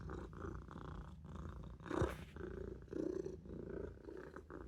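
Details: Maine Coon kitten Olof purrs while napping in the sink, the low rumble pulsing in breath cycles about once a second, with a short rustling thump around the two-second mark.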